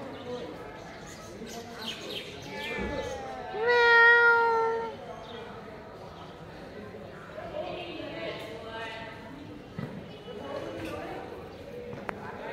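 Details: Black domestic cat giving a loud, drawn-out meow with strong harmonics that rises then falls, lasting about a second and a half, amid softer background voices and household noise.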